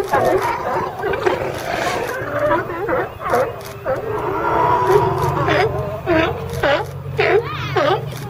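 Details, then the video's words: Group of California sea lions piled together, a seagull among them. Overlapping gruff barks and bellows, then a run of sharp, rising-falling honks, over a low steady hum. "California Sea Lions"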